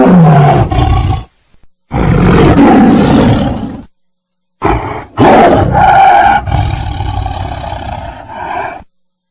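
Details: Tiger roars in separate heavy bursts: a rough roar, a short gap, a longer gravelly roar, then after silence a harsh rising burst that trails into a sustained, harmonic growl.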